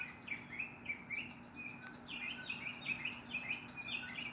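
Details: A neighbourhood squirrel scolds a black cat with sharp, chirpy barks, repeated in quick uneven bursts.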